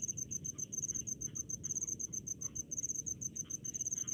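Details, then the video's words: Cricket calling in rice paddies, quick high-pitched chirps in short bursts about every quarter second, with fainter overlapping pulses and a fairly loud low background rumble. "SUARA JANGKRIK DI PESAWAHAN"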